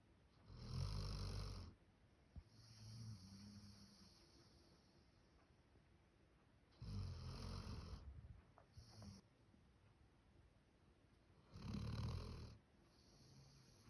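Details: Human-sounding snoring from Max, a male Labrador Retriever born 1 October 2019: three heavy, rumbling snores of a second or more, about five seconds apart, with softer wheezy exhalations between them.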